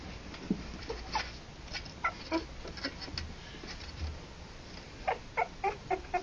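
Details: Harlequin poodle puppies, three weeks old, born October 28 2009, give scattered thin squeaks and whines, then a quick run of five or six short, even peeps near the end, over faint rustling.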